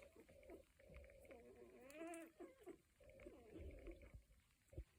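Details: Cocker Spaniel puppies at one week old: longer drawn-out, wavering whining cries that rise and fall, with softer squeaks and low shuffling in the background.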